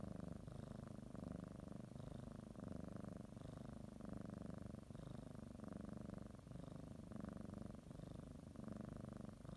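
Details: Indoor house cat, kneading and biting a blanket before a morning nap, gives a long soothing purr; deep even rumble swelling and easing with each breath, roughly every one and a half seconds.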